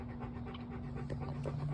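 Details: Soft, irregular panting from Bo, a male pet dog who is restless rather than lying down, is heard against a steady low hum.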